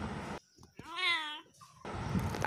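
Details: A single long, level kitten meow, clear and tonal, bracketed by loud Bengali speech before and after.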